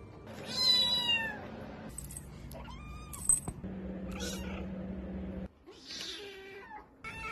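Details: Domestic cat meowing in short, rising-then-falling harmonic calls, several bursts over seven seconds, with some background hum and a brief clatter.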